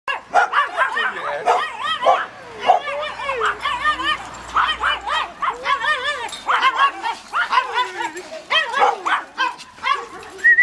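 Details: Domestic dog greeting a person: rapid series of short, bright yipping barks and excited whines with arched harmonic contours, bursts every half second or so, a human voice faintly in the background.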